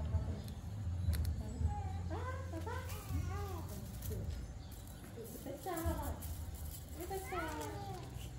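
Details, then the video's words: Cats meowing: a quick series of high, arched, harmonic mews, clustered in the first half and followed by two shorter bursts near the end, over a steady low hum and light background noise. "Meow cats meowing"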